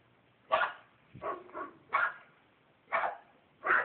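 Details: Small bulldog barking in a yard, a dog that keeps barking for hours while people are outside; five short sharp barks spaced about a second apart, with a quiet gap between.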